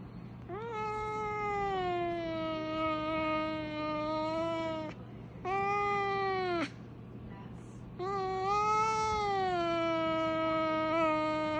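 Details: Domestic cat giving long, drawn-out wailing meows likened to a fire truck siren: three sustained tonal howls, the first about four seconds, then a shorter one and a rising-falling final wail, with brief pauses between, indoors.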